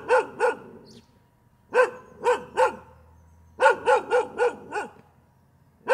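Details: Dog barking repeatedly and continuously in short bursts: two barks, three barks, then a quicker string of about six barks, and a final bark, all loud, sharp and mid-pitched, separated by brief quiet gaps with no other sounds.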